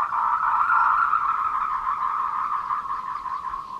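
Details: Tree frogs calling for courtship at 14:00 on 26 April 2018 along the Meiling Wulong Trail in Nanxi, Tainan, captured with a Canon PowerShot SX720 HS; a dense, fast-pulsed mid-pitched trill runs unbroken through the whole stretch.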